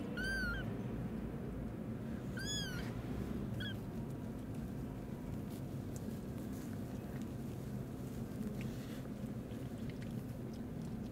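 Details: Rescued newborn kittens crying from an old warehouse in the evening; three short high mews in the first four seconds, then only steady low background rumble.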